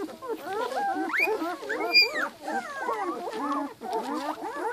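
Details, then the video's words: A litter of Giant Schnauzer puppies two weeks old, whining in overlapping squeaky, arching cries, with one brief sharper high squeal standing out near the middle. "Giant Schnauzer puppies two weeks"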